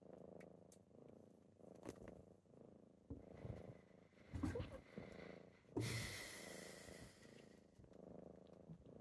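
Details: Kittens purring on a typical morning as they wake their owner; low rumbling purr in uneven bursts, broken by rustling and a loud scratchy burst of movement near the middle.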